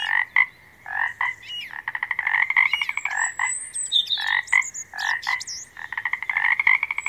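Frogs calling in a busy chorus of rapid, pulsing croaks that overlap in bursts.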